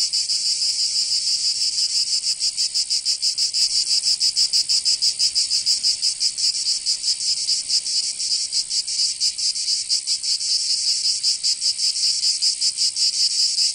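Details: Summer cicada chorus in Provence, southern France, with overlapping insects making a dense, shrill, rasping buzz. The pulses are less even and swell and fade irregularly.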